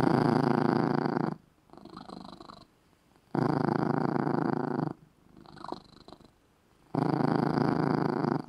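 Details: Indoor pet cat asleep in a small red bed, purring loudly and relaxingly; three strong rumbling bursts spaced roughly every three seconds, each followed by a quieter, thinner purr on the inhale.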